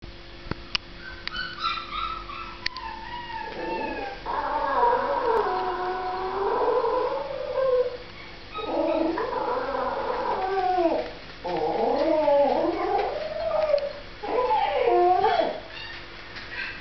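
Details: Toy Fox Terrier named Marti whining in sadness: long, wavering, howl-like cries that rise and fall in pitch, coming in about four drawn-out bouts separated by short pauses, over a steady low background hum.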